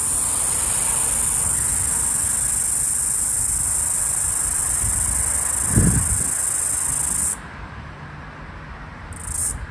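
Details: A floury baker cicada (Aleeta curvicosta), the last heard of the 2022/2023 Australian summer, on 18 March 2023 near a busy street, gives a continuous high, hissing buzz that cuts off abruptly, then briefly resumes, possibly syncing with another cicada.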